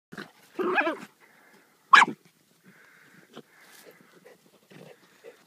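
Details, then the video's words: Hunting Jack Russell terriers at work pulling a fox from its den: two sharp, short barks about a second apart, then quieter scuffling and a man's voice urging them on. "Jack Russells loving the hunt."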